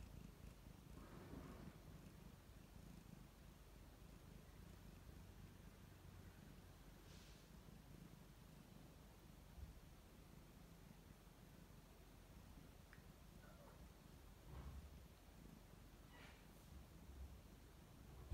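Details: Relaxed domestic cat purring contentedly at close range: an ongoing low rumble with rhythmic pulses, interrupted by a few brief soft rustles and snuffling sounds.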